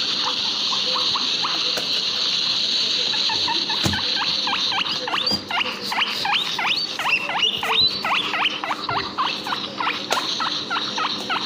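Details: Backyard guinea pigs squeaking: a few sparse rising calls at first, then a rapid, regular train of upward-sweeping squeaks from about four seconds on, with a constant high-pitched hiss behind.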